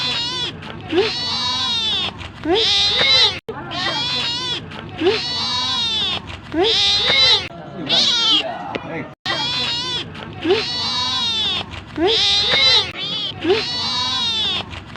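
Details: Hungry pet cat asking to be fed with insistent clusters of bright, high meows, two or three per burst, repeating steadily through the recording.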